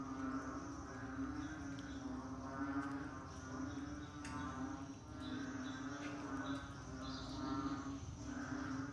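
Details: Frogs calling in the rainy season, a dense chorus with a steady low droning tone beneath pulsing, throbbing calls that swell and fade every couple of seconds.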